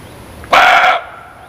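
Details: A single gruff muntjac bark, abrupt and about half a second long, rich and rasping, then quiet.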